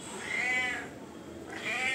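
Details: Domestic cat meowing to demand food, two drawn-out harmonic meows, the first longer and steady, the second rising at the end, over faint room hiss.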